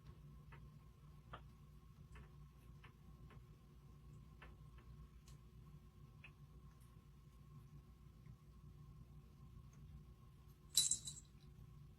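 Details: Quiet room with faint regular ticking clicks over a low hum and one short bright clatter near the end, with no animal calling.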